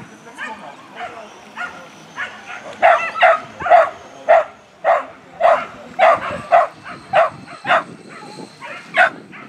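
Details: Male whippet of the sprinter class at a race finale in Zehlendorf, 25 May 2019: high, ringing yelp-barks in a fast, fairly even series of about two per second, loudest mid-run, with faint voices behind.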